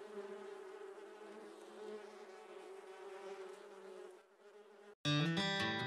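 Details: Giant honey bees (Apis dorsata) buzzing during a honey harvest: a dense, steady droning hum with layered low harmonic bands for about four seconds. It fades briefly before loud plucked-guitar music abruptly takes over.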